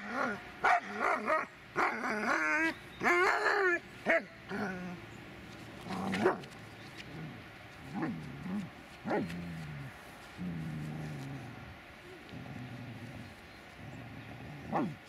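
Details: Dobermann named Magmar Von Der Burgstätte: wavering high whines early on, then lower, rougher growling and yipping sounds, irregular and frequent, fading toward the end.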